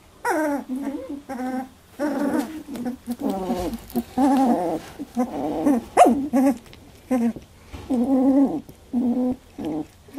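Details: Labradoodle pups at 18 days jostle in their first milk fight, producing loud, rich, wavering whines and yelps in steady bursts with short pauses, some notes bending up and down in pitch.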